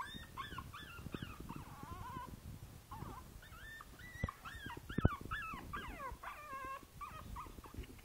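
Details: Five-week-old Boston Terrier puppy Princess Izzy in a basket, 12/4/2011, whining steadily in short bent cries, some falling, some wavering, over a constant low rumbling background with a couple of sharp clicks.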